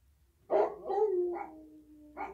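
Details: An 8-year-old American Bulldog howls for the first time, coyote-style, with rough opening yelps sliding into a long, falling wavering tone.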